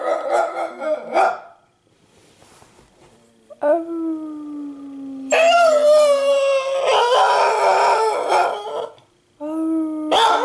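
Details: Piper, a pet dog, howling in response to sirens and to a person's howling, described as trying hard though bad at it; several drawn-out wavering howls with steady tones, one long flat note, a louder quavering stretch, and a short final howl.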